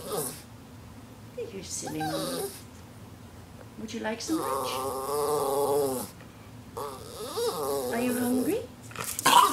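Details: Red Norwich Terrier, one of two pet dogs indoors, 'talking' to ask its owners for lunch: drawn-out, wavering moaning tones held for about two seconds, with short groans between, alongside a person speaking.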